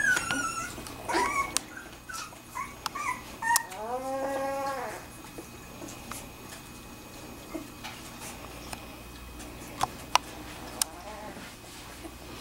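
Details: Two-week-old Wirehaired Pointing Griffon puppies of a kennel litter making a few short squeaks, then one longer rising-and-falling whine, followed by faint rustling and clicks.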